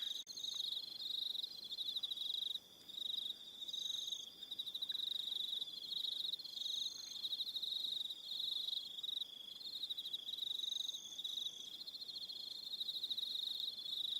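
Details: Crickets on Aroha Island, New Zealand, in the evening: a dense, high, steady chorus of pulsed trills with overlapping shriller bursts, briefly dipping near the two-second mark, no other clear sounds.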